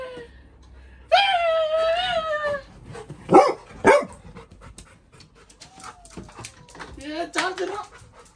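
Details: Little John, a Labrador Retriever puppy complaining about a new kitten in the house: a sustained wavering whine, then two loud barks and softer whimpers, with faint background noise.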